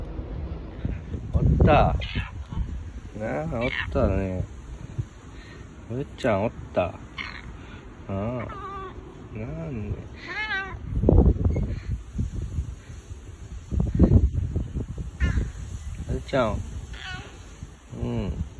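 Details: Bu-chan, a boss cat, meows in a husky voice while rubbing against a person for affection with no other cats around; drawn-out wavering meows recur between stretches of overlapping human talk.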